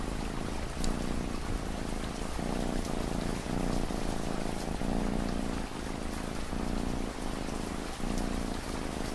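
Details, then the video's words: Domestic cat purring steadily in low, rumbling pulses, each breath cycle lasting about one and a half seconds, layered over constant ambient rainfall with scattered pattering drops. "Relaxing Ambient Rain & Cat Purring Sound"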